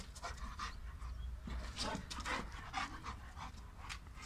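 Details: A female Boerboel, a South African mastiff breed, pants in quick huffing bursts, roughly two breaths a second, with a soft whimpering edge. The bursts are uneven, and a person speaks faintly in the background.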